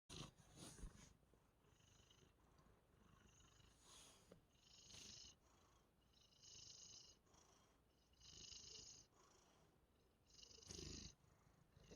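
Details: Domestic cat purring up close, a breathy rasping rumble swelling and fading in rhythmic bursts with each breath, roughly every one and a half to two seconds, with quieter gaps between.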